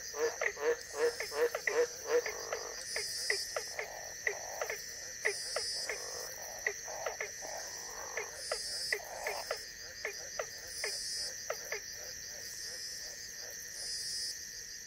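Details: A White's tree frog (Australian Green Tree Frog, Litoria caerulea) gives a rapid series of short, harsh croaks over steady insect buzzing, recorded in the wild during the wet season in tropical northern Queensland, Australia.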